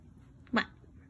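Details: Black Maine Coon cat, described as talking, gives a single short harmonic vocalization of about a tenth of a second, rising then falling, in a quiet indoor setting with low background hum; a person says goodbye afterwards.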